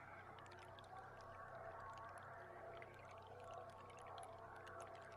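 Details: Underwater beluga sounds recorded from a boat on July 16 amid a large feeding group in an estuary: dense rapid clicking and faint whistled tones above a constant low boat drone.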